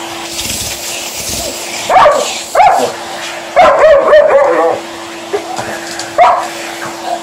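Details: Liza, a female Alaskan Malamute, voices her protest at a running hoover indoors: short barking yelps and drawn-out woo-like howls in bursts around two and four seconds, over the steady drone of the vacuum cleaner.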